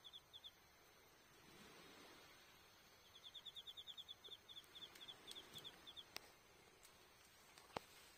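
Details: Insects calling on an autumn night at an Iyo Province campsite in Japan, October 20: bursts of high, quick pulsed chirps that stop and start, broken by pops and snaps from a crackling campfire.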